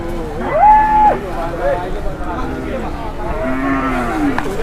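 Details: Angry cattle being unloaded from a truck in Indonesia: a short high, flat-topped bellow near the start, then several lower rising and falling moos amid overlapping voices of people calming the animals.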